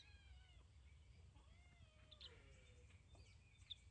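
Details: Cat from a cat family filmed together, giving drawn-out meows with arching, rich harmonic tones, one early and a longer falling one midway, over a steady low rumble of background noise.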